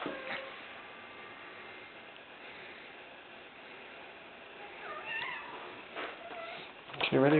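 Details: Female pet kitten Ginger, playing fetch indoors, meows for her ball to be thrown again: a short wavering meow midway, then a louder slurred meow at the end, over a person talking and faint room noise.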